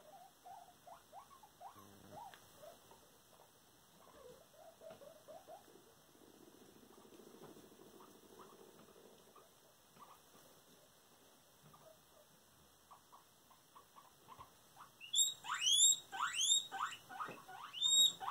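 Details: Indoor pet guinea pigs, with Cuddles acting as a bully toward a companion. Soft low squeaks and chuttering murmurs build to a burst of loud, piercing, high whistled squeals repeated rapidly over the last few seconds.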